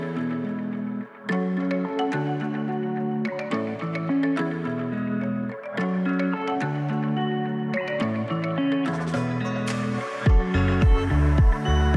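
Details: Steady plucked guitar and mallet-like instrumental music fills the whole stretch, ending in a few heavier percussive hits.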